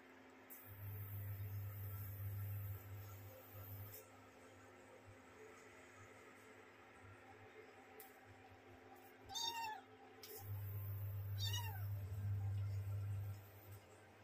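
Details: Little kittens pampering each other and playing; two short, high meows about two seconds apart near the end, over a loud steady low electrical hum that cuts in and out.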